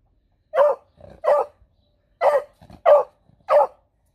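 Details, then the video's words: Female beagle on guard duty at home, giving a run of five loud, rough barks at uneven intervals, with soft huffs between some of them. "7 Cute Beagle Barks!"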